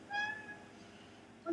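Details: A house cat chasing a fly at a window gives one brief, thin, steady-pitched mew with bright overtones, lasting a fraction of a second, followed by quiet room tone.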